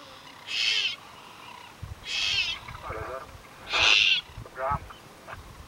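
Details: Leopard cub in the Serengeti crying: short, high, strained wails, each under half a second, repeated about every one and a half seconds with some softer, lower whimpers between.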